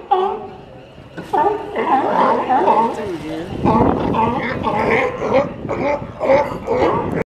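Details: Sea lions at a dock, recorded in 2018, giving a dense run of harsh, gargling barks and growls with rising and falling tones, bursts overlapping one after another with only brief gaps.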